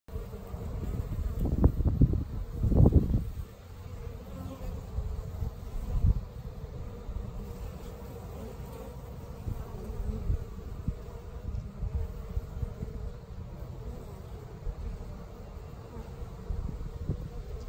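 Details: Worker honeybee emerging from its cell in the hive, 21 days after the egg was laid; low, steady droning hum throughout, with two louder rustling bursts near the start.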